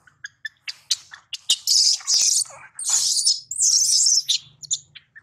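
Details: Baby monkey, separated from its mother after being taken by another monkey, crying loudly for its mother: short sharp squeaks, then long piercing high-pitched screams in repeated bursts, with scattered clicks and chirps between.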